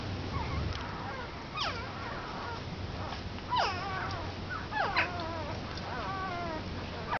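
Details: One-week-old Komondor puppies crying: repeated high whines that rise then fall, several overlapping in quick succession, with a low steady hum underneath.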